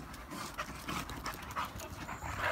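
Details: Two Chow Chows, Elsa and Mufasa, play-fight early in the night near the village of Cardiff, with quick, rough, breathy panting during the scuffle; Elsa dominates.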